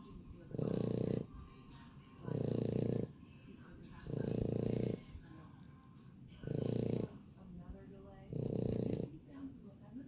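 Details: French Bulldog puppies breathing in low, rasping snore-like bursts, five heavy rumbles repeating roughly every two seconds with quiet pauses between.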